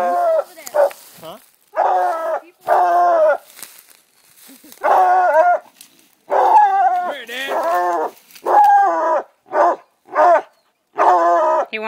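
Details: Treeing Walker Coonhounds, two dogs, baying at a raccoon up in a tree; long drawn-out bawling barks in irregular bursts about every second or two, separated by short silences.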